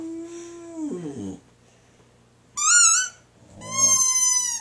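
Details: Boxer dog howls to a squeaky toy: a short howl that slides downward, then two shrill high squeaks from the toy after a pause.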